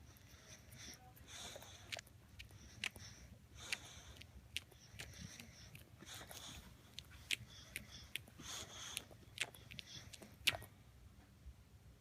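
An English Bulldog snorts, wheezes and snuffles in short bursts, with sharp clicking chewing sounds.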